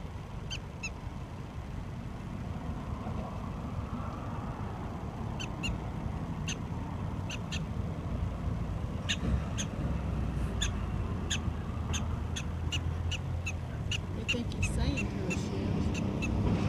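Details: Prairie dog chatting back to its owner and Shebby, giving bursts of quick sharp chirps, sparse at first then denser and faster toward the end, against rising low rumbling background noise.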